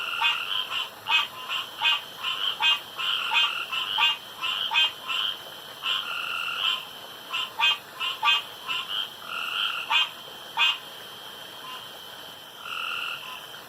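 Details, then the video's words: Competing male frogs call around a pond after dark, the loudest and longest caller winning; sharp rattling croaks fire in rapid bursts, some stretched into longer buzzes, roughly 87 a minute against a continuous high-pitched drone. "STRANGE NOISES AT NIGHT"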